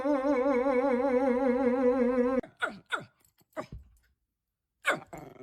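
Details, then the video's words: Indoor dog making strange noises: a long wavering, whine-like tone held steady for over two seconds, then several short falling yelps separated by silences. "The dog made strange noises"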